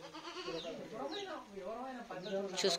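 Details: Goats kept in a stock of about fifty animals held for sale bleat in wavering, quavering cries, overlapping with human voices nearby.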